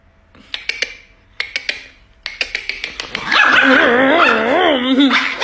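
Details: Angry Chihuahua, a small dog, letting out sharp, high yipping barks in short bursts of two or three, then a louder, long, wavering tonal whine that rises and falls.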